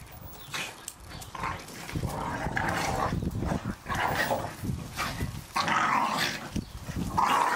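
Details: Staffordshire Bull Terriers playing in a garden, tearing apart a ball each was given for Christmas; rough, throaty growls and short bark-like bursts come in uneven waves, with scuffling noise between.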